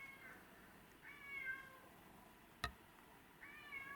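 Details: Domestic cats Tom (black and white) and Mimi (white and ginger) crying to come indoors; a short meow, then a longer wavering one, a single sharp click, and a final rising-falling meow.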